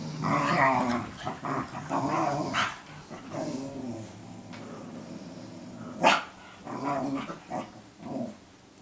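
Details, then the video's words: Cooper and Sophie, two dogs sparring as Sophie teaches Cooper guard-dog behaviour; throaty growls and short grumbling barks, one sharp bark near six seconds, followed by a few softer yaps. "Cooper and Sophie barking at each other"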